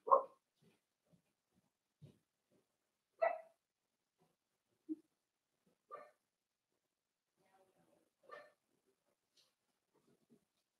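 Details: Four-week-old Cavalier King Charles Spaniel puppies indoors in a puppy pen, meeting other dogs and trying puppy mash; soft, short whimpering yips scattered every couple of seconds in a quiet room.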